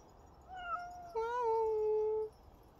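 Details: Friendly dog-like domestic cat calls indoors with a soft, slightly falling first meow, then a louder, longer meow that swells and holds steady before stopping; the room is otherwise quiet.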